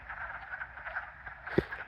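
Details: A dense chorus of hundreds of wood frogs at a vernal pool in spring, a steady mass of low, duck-like clucking croaks; mating calls during the breeding season, frogs seen swimming at the surface.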